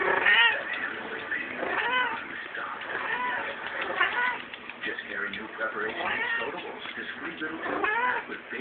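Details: Domestic cat in heat, indoors at a friend's house, giving drawn-out, arching meows with rich harmonics, repeated several times across the stretch, while people talk and laugh over and between the calls.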